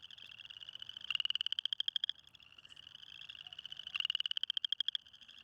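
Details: Spring peepers calling for mates in a cold pond in early spring while a female approaches. Two loud, buzzy, rising trill bursts, each about a second long, stand out over a steady background chorus of similar calls.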